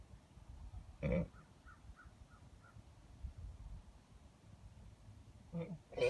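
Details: Two long-paired geldings give unusual noises: a short loud grunting burst near one second and another at the very end, with faint chirping birds between them over a low rumble.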